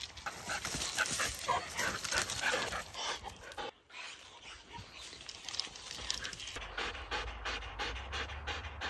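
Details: Two Siberian Huskies, Laika and Loki, worked up on a walk after meeting a porcupine up a tree. Fast, hoarse, rhythmic panting, roughly three breaths a second, runs almost continuously, briefly dipping midway, with faint wind-like rumble.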